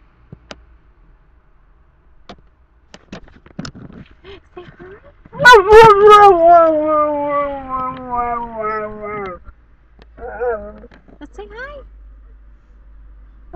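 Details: Alaskan Malamute from a working sled ranch, talkative dog chattering in a car: a long drawn-out whining howl that starts high and slides slowly down, followed by short murmured grumbles.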